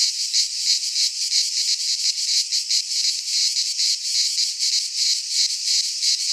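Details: Midsummer chorus of cicadas from a pine forest in Greece, a steady shrill buzz with rapid throbbing pulses roughly three per second, unbroken for the whole stretch, nothing else audible.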